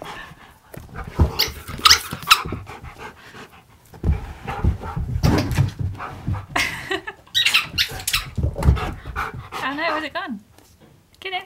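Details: Siberian Husky talking back, arguing and refusing to sit when told; after scuffling and a man's voice, a wavy, warbling, yodel-like vocal run near the end, with a short higher whine following.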